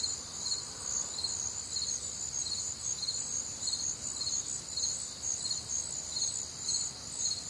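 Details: Crickets with other nocturnal insects on a warm, humid Midwestern summer night; a dense high chorus of steady trilling bands with pulsed chirps near the top of the range, roughly two a second, over continuous night background.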